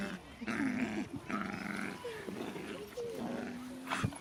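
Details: Jack Russell Terrier puppy Loki, six months old, playing and biting with Singa; short rough growls followed by a few high whines and squeaks, with a man's voice nearby.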